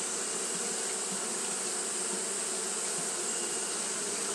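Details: Japanese honey bees fanning continuously on a hot day: a steady low droning hum with layered overtones, unbroken throughout, over a constant bright high hiss.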